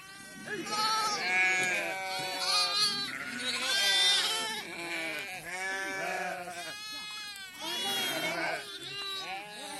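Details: Flock of sheep during PPR vaccination, a mother calling for her lamb: many overlapping quavering bleats, high and low voices crowding one another almost without pause for ten seconds.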